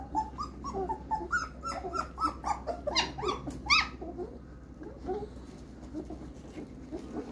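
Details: Fifteen-day-old German Shepherd puppies whining and squealing in overlapping, uneven cries of varied pitch, a few sharper yelps midway, fading to quiet rustling over a constant low hum.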